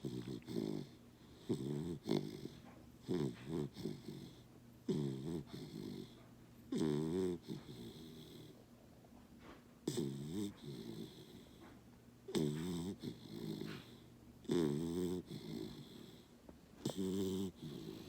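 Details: A sleeping Basset puppy snoring during a morning snuggle indoors, each breath a rough, wheezy rattle lasting about a second, repeated roughly every two to three seconds with quiet gaps between.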